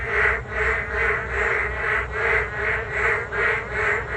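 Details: Frogs in a rainy-day chorus along a riverside path by the Geum River, giving rhythmic duck-like croaking pulses about two or three per second, continuous and overlapping, with a faint steady low drone beneath.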